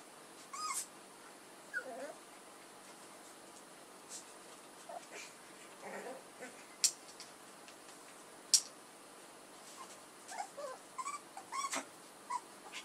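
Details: Young puppies, offspring of Edhel and Berry, make scattered thin, high-pitched squeaks and wavering whines, some rising and falling, spread across the stretch between short sharp clicks and taps.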